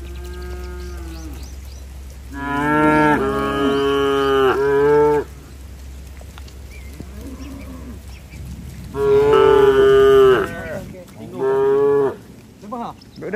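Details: Several tame cattle heading for the barn during rain: a low moo opens, followed by two long, loud, harmonic-rich lowing calls, each broken into segments, separated by quieter stretches with a low steady hum underneath.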